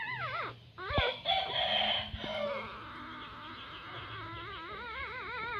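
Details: Newborn puppies from a litter of nine, squeaking together in overlapping high, wavering whines that rise and fall in quick succession, with a steady warbling squeal carrying through the second half.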